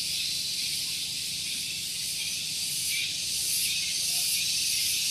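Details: Shrill cicada song on a morning at Gunung Geulis, Bogor, West Java, near parked vehicles. A dense high buzz with a quick pulsing texture, swelling slightly louder toward the end, over a faint low hum.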